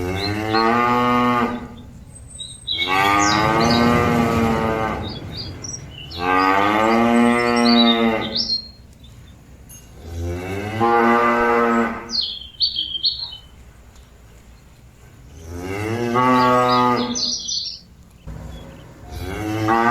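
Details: Cow calling its companions back to the pen with four long, loud, harmonic moos spaced a few seconds apart, some rising then falling, and bird chirps heard between calls.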